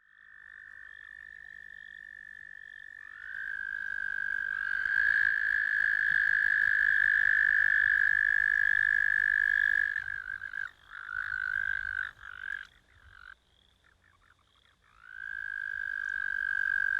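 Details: American toad calling: a long, steady, high musical trill held for several seconds, fading out, then broken into shorter trills before one more sustained trill starts.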